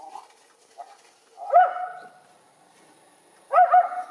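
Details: Two young Schipperke dogs playing in backyard snow with deer nearby give two short, sharp barks about two seconds apart, each a bright harmonic burst, after a few faint earlier yips.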